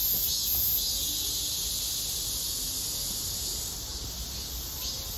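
A robust cicada's loud, high, buzzing song runs without a break, with a faint pulsing roughly twice a second over a low background rumble.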